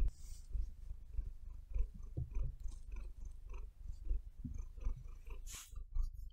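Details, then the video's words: Low, rumbling purr from Maia the house cat, pulsing evenly in time with her breathing; a short scratchy burst near the end as her claws dig into the bed. "Cat Purring"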